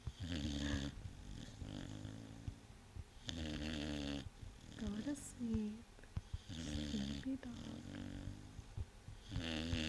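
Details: A sleeping male Vizsla snores loudly, which happens only in certain positions, in deep, raspy, rumbling breaths about every three seconds, with a person's voice heard softly between snores.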